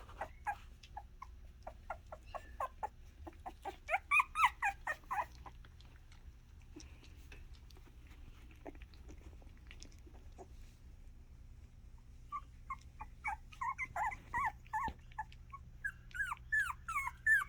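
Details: Miniature Australian Shepherd puppies making noise: bursts of short, high squeaky yelps and whines, some rising or falling, clustered around the fourth to fifth second and again toward the end, over a steady low hum.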